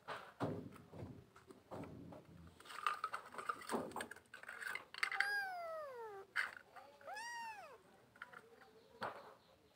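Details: Kittens meowing, several high arched mews with rich harmonics, some falling in pitch, others rising then dropping, packed into the second half after scattered knocks and rustling handling noises.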